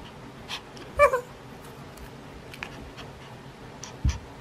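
A Maltese x Shih Tzu gives a brief, high, tonal whine, asking for its ball to be thrown.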